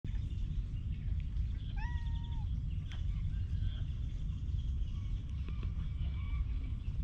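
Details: Stray cat that seems to be waiting for someone, being petted: a single short tonal meow with a slight rise and fall, clear overtones above it, over a steady heavy low rumble of outdoor noise with faint higher chirps later.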